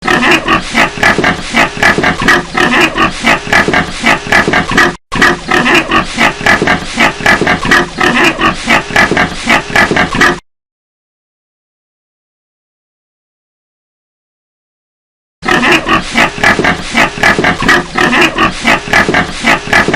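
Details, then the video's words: Several pigs in a pigsty keep up a dense, nonstop chorus of grunts and snorts with occasional squeals. A stretch of complete silence falls in the middle. "efeito sonoro de chiqueiro - Pigs house sound effect"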